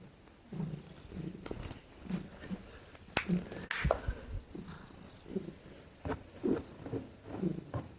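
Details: She-cat being petted while snuggling, making soft low purring murmurs in short bursts, interrupted midway by sharp clicks and rustling handling noises, then the low pulses resume.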